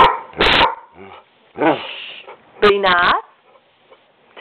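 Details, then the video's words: Pet dog talking back to its owner, making two long, bending, moaning yowls with a short grunt between them, while a woman speaks briefly to it. "talking to him mommy"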